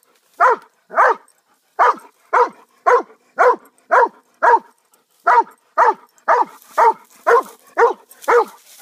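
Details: Pet dog barking in a steady run of about fifteen short, harsh barks, roughly two per second, with one brief pause midway and a faint hiss creeping in near the end.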